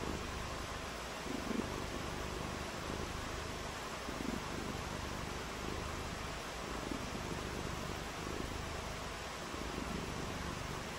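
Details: Purring from a cat during a rainy day of outdoor play in the rain; a faint, low, even rumble runs throughout beneath steady hiss, with brief soft pulses.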